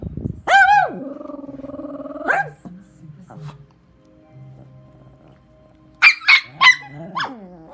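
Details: Jealous pair of Shih Tzu brothers, the younger a baby, squabbling over a bully stick. A long drawn-out whining howl lasts nearly two seconds, then low grumbles and quiet music, then three rapid sharp barks and a final yap.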